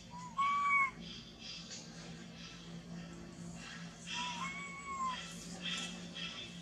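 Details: A lost baby monkey, separated from its mother and clinging to a tree with its body shaking, cries out in two drawn, clear whistles that swell upward and sag at the end, spaced about four seconds apart over faint rustling.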